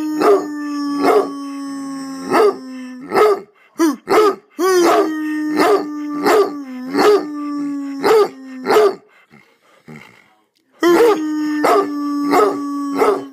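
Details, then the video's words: Roscoe, a pet hound, barking while his owner howls to coax him into howling along; sharp, loud barks spaced about every half second to second over a steady, droning human howl, with short pauses. "Barking Hound Dog"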